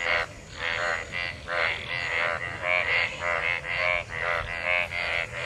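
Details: Frogs calling and mating in monsoon rainwater; loud grating croaks repeated in quick succession, around ten pulses in five seconds, buzzy with a bright upper edge, several animals overlapping.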